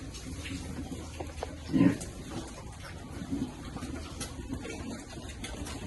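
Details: Piglets enjoying cool water and described as happy. One short, low, rough grunt stands out near the two-second mark, followed by a softer grunt later, over steady background noise.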